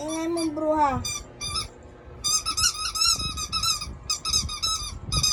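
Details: Pet dog indoors, called baby by its owner, making noise while staying close: a voice speaks briefly, then rapid series of high, squeaky whines with wavering pitch, short bursts in quick succession, with talking mixed in.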